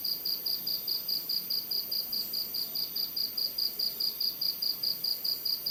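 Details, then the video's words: Night-time cricket giving high, ringing chirps in a regular beat of roughly two to three per second, unbroken throughout, with soft ambient hiss behind. "Bunyi Jangkrik & Suasana Malam"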